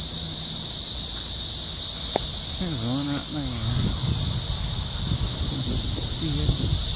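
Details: Cicadas in daytime at an RV park near Columbia, Missouri, some flying about: a dense chorus making a steady, high, hissing drone, with a man talking over it.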